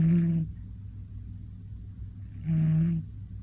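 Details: A napping one-year-old male Scottish Fold named Koron lets out heavy, low rumbling snores. One fades at the start, then after a two-second hush a second half-second snore follows.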